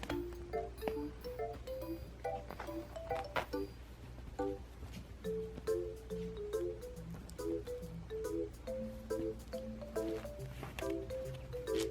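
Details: Light plucked background music with short hopping melody notes and soft percussive taps throughout, with no animal voice standing out above it.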